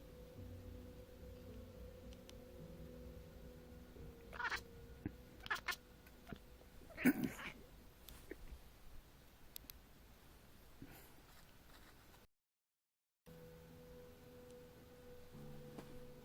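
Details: Domestic kitten indoors making odd noises while chasing a fly and annoying a collie; a few short, scratchy chirping bursts cluster between four and eight seconds over a steady low room hum, with quiet gaps between.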